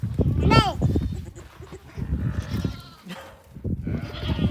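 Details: A baby lamb (Ovis aries) gives short, wavering, nasal bleats while a person talks nearby.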